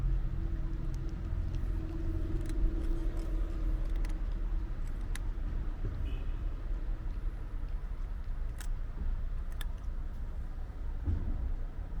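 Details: Low rumbling street traffic and passing cars dominate, with a few sharp clicks and jingles and faint distant voices.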